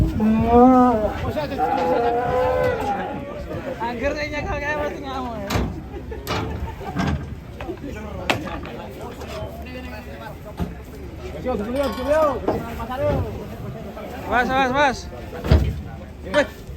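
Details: Enraged fat cow lowing in a long, wavering moo at the opening, then quieter bellows mixed with people's voices, thumps and background clatter.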